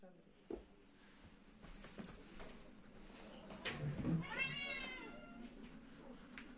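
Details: A cat meowing before eating: after soft rustling and faint voices, one clear, drawn-out, arching meow rises and falls near the middle.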